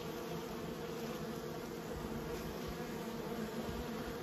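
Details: Kept honey bees humming in a steady, unbroken low drone, many wingbeats merging into one even buzz with layered overtones and no pauses across the whole stretch.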